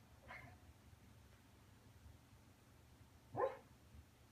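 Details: Pet dog asleep, making noises in its sleep: two short muffled yelping woofs, a faint one near the start and a louder, rising one about three seconds later, with low room hum in between.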